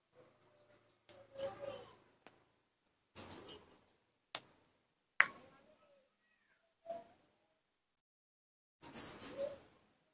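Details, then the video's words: Baby monkey Nomi calling out while his father is not nearby, in short squeaky, harsh bursts scattered through the clip, some with high shrill overtones, separated by quiet gaps. "the melodious sound that the baby monkey Nomi makes to call, when his father is not nearby"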